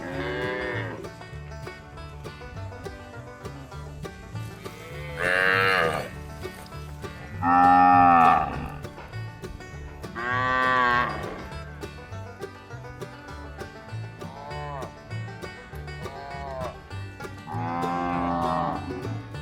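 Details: Cows in a village give long, drawn-out moos over light country-style music with a plucked banjo.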